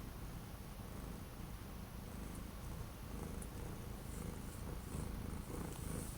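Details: Orange domestic cat purring on 12 January 2025, kept from going outside by several days of strong wind and cold; a steady, low, rumbling purr pulses throughout, with faint soft rustles above it.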